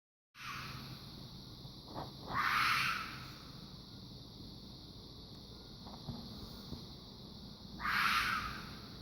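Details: Fox calling with two harsh, hoarse screeching calls about five seconds apart, each dropping slightly in pitch, over a steady background hiss and faint clicks.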